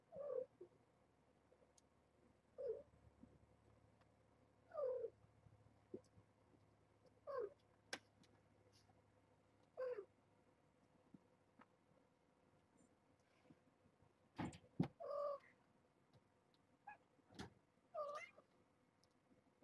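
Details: A young mother cat, Nala Se, calls her kittens awake on a morning indoors at Purrfect Pals, steering them toward the next room; short, clipped meows recur roughly every two and a half seconds, louder and more tangled near the end, with faint thumps.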